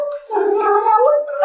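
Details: Yuanbao, a talkative pet cat prompted to say 'meow meow meow', answers with a long, wavering, slightly gargly vocalization held at an even pitch for over a second, indoors.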